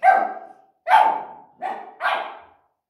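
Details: Samoyed, also called Samoyed laika, scolding a hair dryer while being dried after a wash; four loud, sharp barks in under three seconds, each a bright, abrupt burst with a quickly fading tail, spaced about a second apart.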